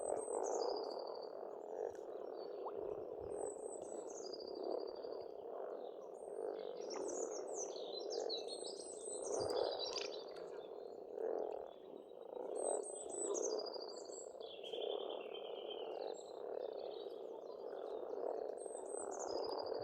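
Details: Springtime frogs at a farmstead pond in Estonia keep up a thick, pulsing croak chorus while many birds sing above, with busy high chirps, warbles and descending whistles repeating throughout.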